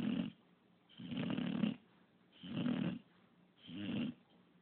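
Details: English bulldog Pup, described as snoring 24/7, snores in quick succession: four raspy, throaty pulses about every one and a half seconds, each short and buzzing, separated by brief quiet gaps.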